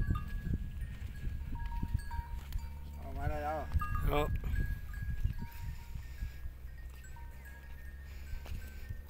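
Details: Quavering goat bleats, two close together near the middle, rise from a herd lounging on forest sand dunes at sunset, with low rumbling noise, bell-like ringing and faint voices around them.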